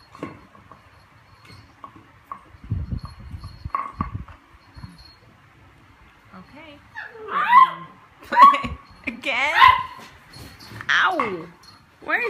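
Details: Cooper, a pet beagle, plays with his recycled Coke bottle indoors; after rustling and thumps, several loud harmonic barks and yelps rise and fall over a few seconds, with a person talking in the background.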